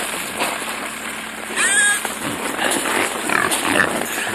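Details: In winter on a frozen lake in Leningrad Oblast, a herd of wild boar sows and piglets squeal shrilly with rising squeals and grunts while taking fish from ice fishermen's buckets, men talking nearby.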